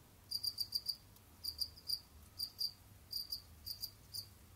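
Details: Pet Jamaican field crickets (Gryllus assimilis) roaming and hunting insects in captivity; crisp high-pitched chirps grouped in trains of three to five quick pulses, separated by short pauses.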